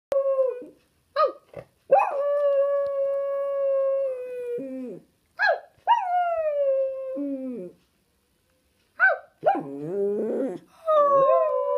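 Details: Pet dog, female, howling like a wolf: long sustained tonal wails holding steady then sliding down, broken by short yelps and rising whines, with a wavering, quavering howl near the end; quiet background.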